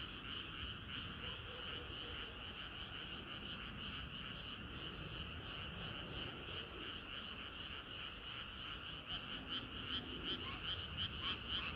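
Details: Frogs singing in chorus on a hot summer night, a dense wall of overlapping croaks with rhythmic pulses repeating rapidly, clearer regular pulsing toward the end over steady low background noise.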